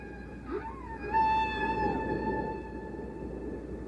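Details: Male humpback whale song, sung to drive off other males or attract females and repeated for hours; a long, steady, tonal moan with clear overtones, joined by a brief rising sweep and a swelling middle note.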